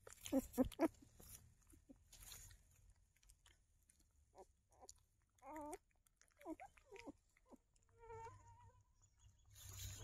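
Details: Newborn puppies, eyes just opening, searching for their mother: a few short wavering whimpers and squeaks scattered through quiet stretches, with rustling and faint handling noises.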